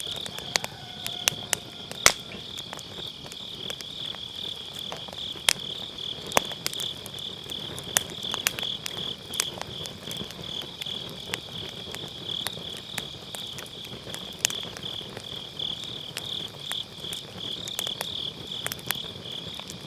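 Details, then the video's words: Autumn-night grass insects sustain a continuous high-pitched pulsing chorus next to a burning campfire, whose dry crackles and pops punctuate the trill every second or so; MKE600 microphone, low cut on. "가을밤 풀벌레 소리"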